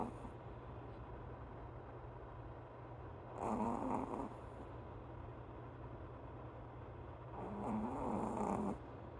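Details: Pet dog snoring while asleep: two rough, breathy snore bursts, each lasting over a second, about four seconds apart, with a steady low hum and quiet room noise between them.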